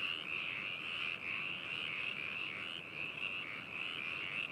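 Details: Many frogs calling together at Hakushu, Yamanashi Prefecture, Japan, on 4 May 2018, in a binaural recording. A continuous, shimmering high trill wavers slightly in loudness, with no single caller standing out.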